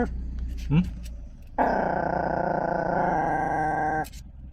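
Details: Pet Chihuahua guarding its car, giving a long unbroken buzzing growl of about two and a half seconds after a brief human utterance; constant low vehicle rumble in the background.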